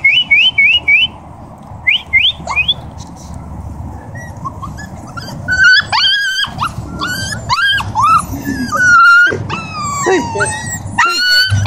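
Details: Siberian huskies, a family group in Oregon, vocalizing: a few short high rising yelps open, then a run of wavering whined calls that slide up and down, overlapping and fairly continuous, with a low hum beneath.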